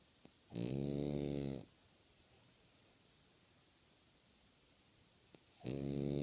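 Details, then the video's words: A French Bulldog snores with its eyes open, in loud, rasping, droning breaths about five seconds apart. "More french bulldog snoring with open eyes"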